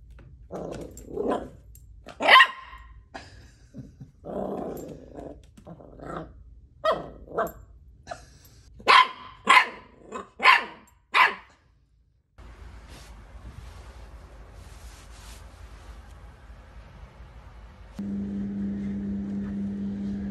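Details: Dachshunds in a compilation of funny home moments, barking and growling in short sharp bursts, several loud yaps clustered near the middle, then a quiet stretch ending in a steady musical hum.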